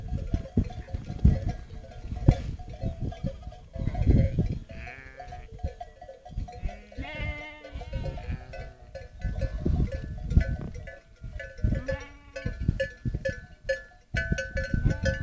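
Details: On Boğalı plateau in the Central Black Sea region, a Romanov sheep flock heads back to camp at sunset escorted by Kangal dogs; repeated overlapping bleats, some long and wavering, over continuous bell-like tones and rumbling movement.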